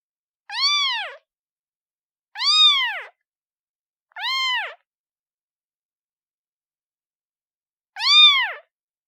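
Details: Newborn kitten calling its mother: four short, arched, high mewing cries, each rising then falling, in two quick pairs with a long pause before the last, over clean silence.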